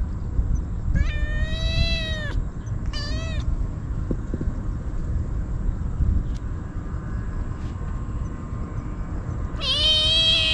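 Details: Stray kitten crying out desperately while eagerly eating Churu and Sheba treats, filmed on a GoPro: three loud, drawn-out meows, the first long and steady, a short one near three seconds, a final one at the end, over low outdoor rumble.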